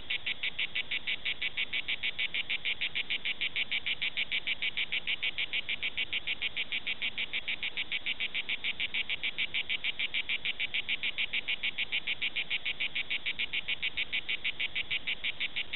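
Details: Steady, unbroken song of Cicada orni at Prades, with dense, machine-like rasping pulses repeated rapidly and evenly, a little over three per second, and a quiet background.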